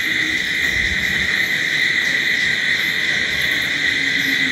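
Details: Night crickets keep up a dense, steady, shrill trilling that holds at an even level throughout, like a constant high ringing hum.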